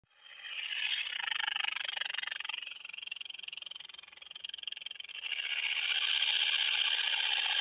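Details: Short-winged conehead bush-cricket in Hirschau, Germany, on 27 July 2019: a continuous, fast buzzing trill of rapid ticking pulses, fading in the middle then swelling back to full strength, with a quiet background.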